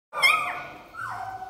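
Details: Three-day-old Belgian Malinois puppy from a litter of ten, five males and five females, born 16 June 2018, gives a high whining squeal that slides downward, then a second, softer falling whimper.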